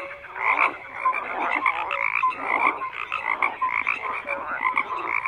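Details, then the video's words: Steady group croaking from numerous frogs: grating, pulsed calls overlap with bright short notes, the loudness rippling quickly in uneven waves across the whole stretch. "FROGS CROAKING"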